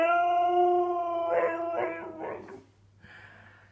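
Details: Annoyed husky Ferrari answering sneezing in a small room: a sustained howl of over a second, then three choppy grumbling yowls, followed by quieter noise.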